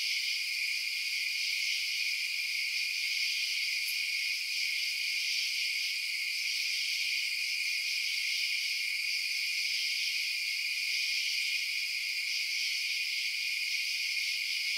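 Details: Crickets chirping at night: a dense, unbroken high-pitched shimmer with steady bands of trilling, no pauses or distinct pulses, and one brief faint click near the four-second mark.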